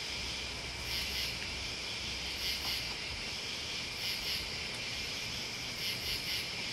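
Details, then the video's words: Crickets and bugs chirp in a dense chorus: bright, very high bursts, often in pairs, recur roughly every one to two seconds above a constant shrill buzz. "Listening to Crickets and Bugs"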